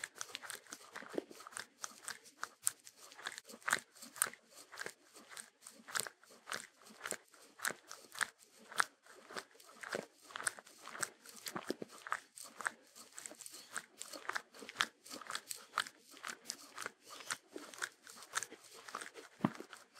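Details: Sheltie dog (Shetland Sheepdog) eating without music: a long run of crackly, crunching bites, fast and irregular, some louder snaps standing out against a steady bed of softer crunching.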